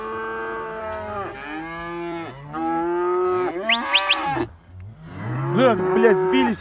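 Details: Young Simmental cattle bunched together in a group, several animals mooing in overlapping, drawn-out bellows with rich harmonics, some rising sharply to higher, strained ends, with a brief pause near the middle.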